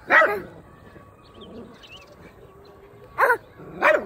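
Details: Domestic dog barking: one sharp bark, a pause of nearly three seconds with a faint steady hum, then two more quick barks.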